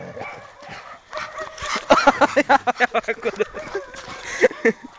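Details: Labrador Retriever paired with a mixed-breed Labrador, giving a rapid run of short yapping barks, roughly three per second, which fade into scattered louder barks, with murmured speech in the background.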